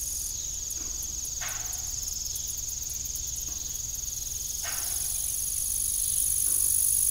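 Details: Crickets in the evening beside a disused farm windmill keep up a continuous high-pitched trill, briefly broken into rapid pulses early on, while the windmill's blades creak roughly every few seconds.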